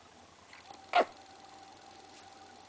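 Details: A 4-week-old female Maltese puppy gives her first bark, a single short, high, yappy bark over a faint steady hum.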